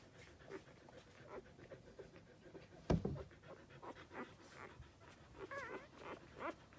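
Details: Belgian Shepherd Groenendael puppies, males born 30 April 2020, at a breeding kennel in Verbano-Cusio-Ossola, Italy; soft, quick rhythmic panting breaths, one sharp thump midway and a brief wavering whine near the end.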